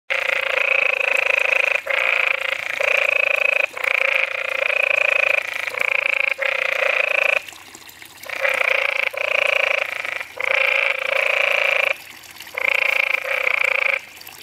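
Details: A calling canyon tree frog at Southwestern Research Station, Arizona, USA gives a harsh, nasal, rattling trill in bursts of one to two seconds.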